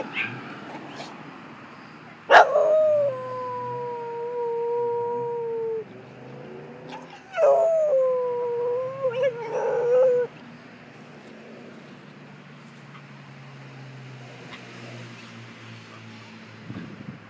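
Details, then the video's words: Staffordshire Bull Terrier howling along with an ambulance siren: two long, level, drawn-out howls of about three seconds each, with harmonics, then quiet background. "staffy sings along with ambulance"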